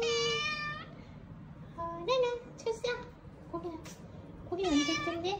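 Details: Small rescued kittens, weak and found leaning on each other on the way back from a family funeral, give short high mews in three bursts, separated by quiet murmured speech indoors.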